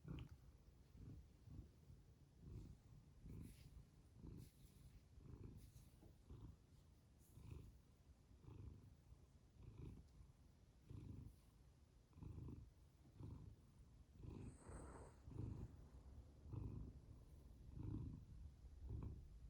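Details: Pet cat purring: soft, low rumbling pulses that swell and fade with each breath, about once a second, recorded close and quiet with faint background hiss.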